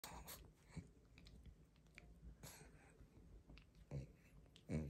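A pug chews noisily on a rope toy, with irregular crunching, snuffling and wet mouth sounds.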